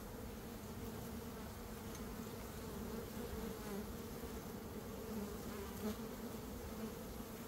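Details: Steady low hum of a swarming honey bee colony being caught by beekeepers in early May, the queen not yet found; continuous droning buzz with a few soft knocks.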